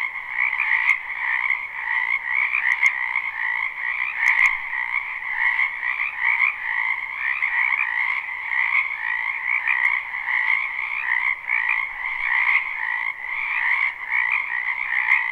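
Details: Live spring recording from a wetland full of frogs: sustained overlapping croaking and trilling without break, evenly loud throughout, with occasional brief ticks over the chorus.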